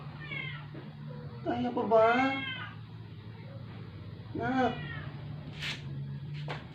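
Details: A sick rescue cat that had stopped eating for 12 days gives two strained meows in a small indoor room. The first is a harsh, layered wail and the second a shorter cry, with a low hum throughout.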